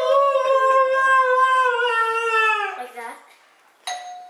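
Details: A female husky named Misha 'talks' in a sustained, slightly wavering, sung howl lasting nearly three seconds, then falls quiet before one more doorbell chime sounds in a small room.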